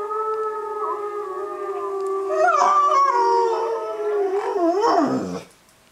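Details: A Bullmastiff, howling along with wolf howls played on a computer, gives a long, steady howl that wavers and then drops away at the end.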